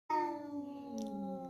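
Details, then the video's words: Domestic cat named Joy, a village cat described as emotional and angry, gives one long drawn-out meow lasting about a second and a half, holding steady and then slowly sliding lower, with a brief soft rustle partway through. "KUCING EMOSIAN"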